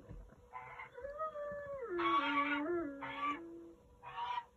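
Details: Akbash guardian dog howling together with another member of the guardian team as evening sets in on an alpaca farm in Wyoming; a long tonal howl slides down in steps, overlapped by shorter, higher wavering howls.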